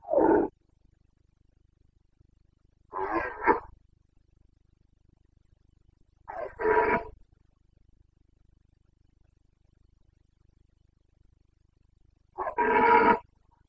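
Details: Roaring Carpathian stag in the Bucovina forests at breeding season, September 2022: four short, rough bellows spaced roughly every three seconds, each a hoarse burst with strong harmonics, against a quiet backdrop.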